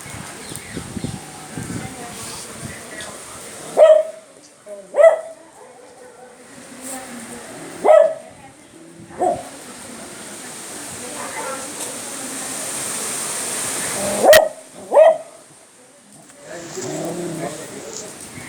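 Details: A beagle (Canis familiaris) of about 12.5 kg barks at the rain, giving sharp, mid-pitched barks, singly and in quick pairs, over a steady rain hiss.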